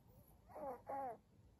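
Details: Maria, a senior pug, recorded indoors on 14 April 2022, utters two short voiced moaning sounds in quick succession, each with a slightly wavering pitch, against a quiet room background.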